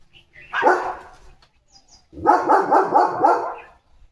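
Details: Male German Shepherd barking at home: one sharp bark, a pause, then a fast run of about five rapid barks, with brief human speech around.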